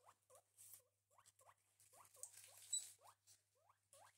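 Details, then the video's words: Pet guinea pigs named Gerti and Walter having breakfast utter short upward-curving squeaks, some doubled, repeated about every half second over soft rustling and chewing. "The guinea pigs Gerti and Walter have breakfast (relaxing cute guinea pig noises, no talking )"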